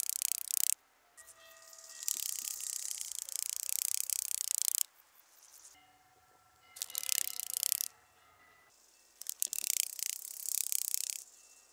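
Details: Rattle grasshopper, Psophus stridulus, at Boltigen, Switzerland, on 7 September 2023: dry crackling rattles in bursts of one to three seconds, separated by short quiet gaps.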